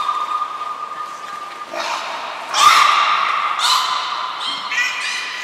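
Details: Captive belugas Nana, Mirai and Niko at Port of Nagoya Public Aquarium, January 2021, during training; a held tone gives way to harsh, buzzy squawks in rapid, irregular bursts.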